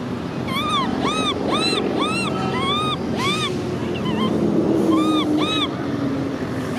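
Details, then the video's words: Macaque baby Cola crying, with angry sister Lyly. Rapid series of arched, whining cries with strong overtones, about three every second, pause briefly, then resume in a pair over a steady rushing background. "Cola baby monkey cries angry sister Lyly"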